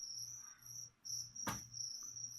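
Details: Cricket used to feed a pet leopard gecko trills in long, high, buzzy chirp runs, interrupted once by a loud sharp clack before resuming.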